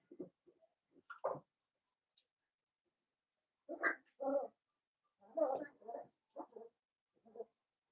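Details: Blenheim Cavalier King Charles Spaniel puppies from a litter of five, born to Paris and Spike at New Year's, in an indoor puppy pen: short whimpers and yelps in scattered bursts, some rising squeaks, with quiet gaps between.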